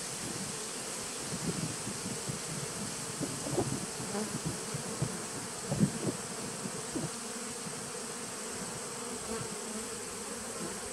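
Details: Honey bees of a 2017 nucleus colony, recorded 19 September 2018: a steady, low droning hum with a band held near the middle of the range. Brief soft thumps and flickers rise through it at irregular moments.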